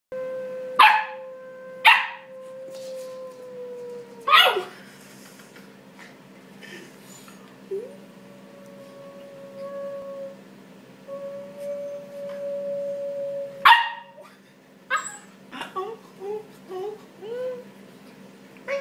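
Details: A 3-month-old Pembroke Welsh Corgi puppy that likes jumping and biting gives sharp yips between long, steady whines.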